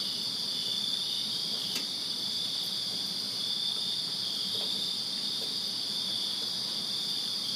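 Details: Many crickets chirp together in a backyard on a summer night in Virginia, a constant piercing high trill of even loudness, broken only by one sharp click near the second mark and faint low rumble.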